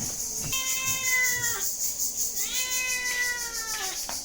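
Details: Domestic cat meowing: two drawn-out harmonic meows, each gently falling in pitch and lasting about a second, with a steady high-pitched hiss running through the background.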